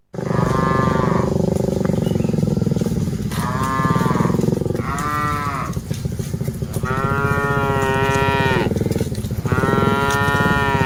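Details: Dozens of cattle being herded, with several long, harmonic-rich moos rising and falling in pitch, some overlapping, over a steady low pulsing engine-like rumble.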